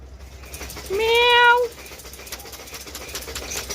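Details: A cat gives one drawn-out, even-pitched meow lasting under a second, slightly rising at the start, with faint voices and background hum around it.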